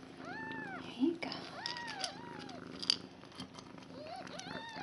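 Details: Five day-old foster kittens beside their mother Nala, indoors, 26 February 2015, give drawn-out rising-then-falling mews, a few seconds apart, over a low murmur of human voice.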